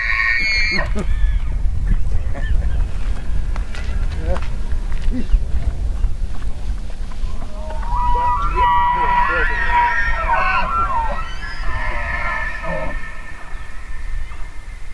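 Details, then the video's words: Elk bugle heard through heavy low wind noise: a few faint clicks early, then halfway through a warbling, whistled squeal with overtones rises and fades. "Elk Bugling"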